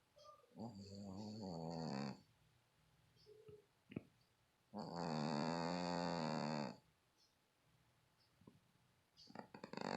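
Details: Sleeping domestic cat snoring, with rough, throaty drawn breaths of about one and a half to two seconds each, spaced by quiet pauses and soft small noises in a small room.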